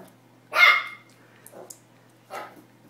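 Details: Pomeranian puppy barking for the first time, excited while attacking a tennis ball: one loud sharp yap, then two softer barks spaced about a second apart, with a faint steady hum underneath.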